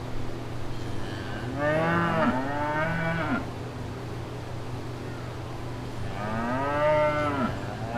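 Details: Two separate bouts of cow mooing on a farm, the first a doubled moo with a dip in the middle, the second a single rising moo several seconds later, steady low hum throughout.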